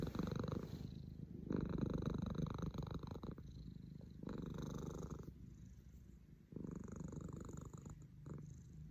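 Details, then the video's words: Cemi, a house cat, snoring in a small room: deep, purr-like rumbles rising and fading in breath-length bursts of one to two seconds with brief quiet gaps between. "S cemi tukang ngorok"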